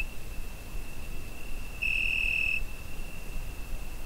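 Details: Summer-night cricket captured on a Zoom H5 recorder, holding one continuous thin high note with a single stronger, brighter swell lasting under a second midway, set against faint low-pitched background noise.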